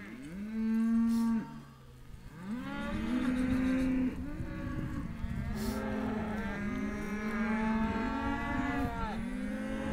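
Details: Hereford calves offered as a sale lot lowing: long, low, steady moos from several animals overlapping one another, with a brief pause after the first call, then continuous calling to the end.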